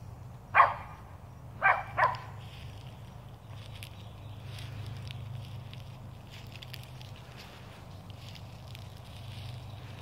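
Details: Kitty, a Sheltie in a Superman cape, barks at squirrels outdoors: one sharp bark, then a quick double bark about a second later, followed by quiet rustling and faint background noise.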